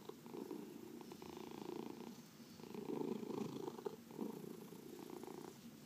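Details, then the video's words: Pet cat purring during a massage indoors; continuous low rattling purr with rapid pulses, growing louder in the middle then easing off. "Four Purring Cats — Cat Massage"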